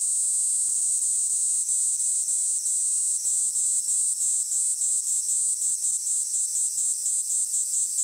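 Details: Kaempfer cicada's high shrill song broken into rapid throbbing pulses, roughly four each second, with faint clicks in the background.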